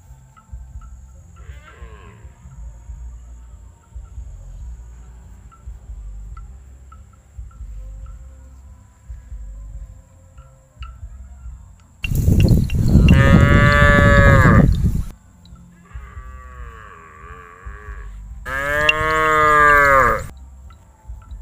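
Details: Calf, tame and not afraid of humans, calls several times: a loud three-second bellowing moo, then a fainter wavering call, then another strong moo. Faint insect chirps fill the quiet before the calls.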